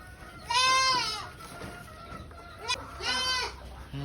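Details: Farm goat bleating twice, each a loud, nasal, wavering cry about three-quarters of a second long, separated by a pause of around two seconds, while people chatter nearby.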